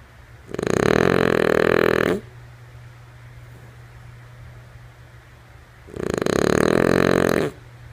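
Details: Lulu, a sleeping female French Bulldog, snores in two long, rasping, harmonic breaths about four seconds apart, each lasting roughly a second and a half, over a steady low electrical hum.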